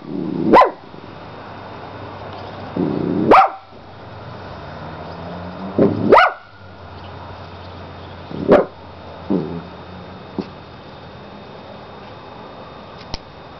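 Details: Molly the dog barking indoors, sharp single barks spaced roughly every three seconds, some followed by short lower growly tails, with a faint hum underneath.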